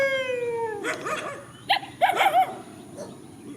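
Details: Countryside dogs in a field facing each other; a single falling howl fades into a quick run of short, rough barks and yelps.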